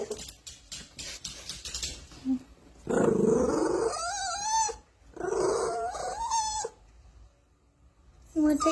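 A pug-mix puppy gives drawn-out, wavering whines with a grumbly edge, fussing because it wants to nap.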